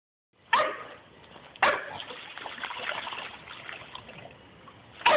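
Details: Dudley, a Staffordshire bull terrier just under 11 months old, plays in his pool and gives three sharp, loud barks. The first two come a second apart and the last follows a long stretch of steady splashing water.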